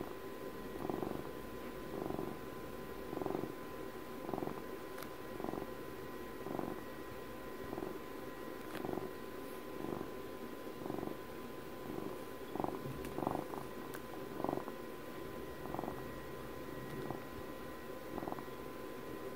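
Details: Long stretch of contented cat purring, regular rumbling swells roughly every second, low vibrating buzz rising and falling with each breath, occasional faint clicks and a steady background hum in a quiet indoor space.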